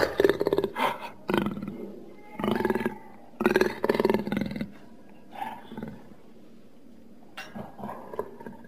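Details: Jaguar giving a series of rough, rasping grunts in short bursts, each lasting under a second, with a longer run of coarse pulses near the middle and quieter grunts toward the end.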